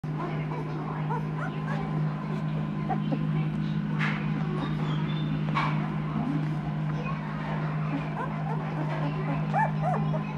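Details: Two-week-old Noble Asian Bear puppies, an F1 hybrid of the Asian Bear Dog and Caucasian Ovcharka with Tibetan Mastiff, American Akita and Ovcharka ancestry, give a litter's chorus of thin, high whimpers and short yips over a steady low electrical hum.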